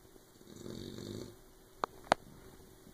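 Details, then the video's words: Sleeping puppy Oberon gives one brief, low, grainy snore, followed by two sharp, loud clicks. "Snoring puppy"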